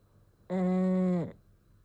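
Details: Ume, a sleeping pet pug, lets out one steady, nasal, droning snore lasting under a second, evenly pitched and ending with a slight downward slide, in a quiet indoor room.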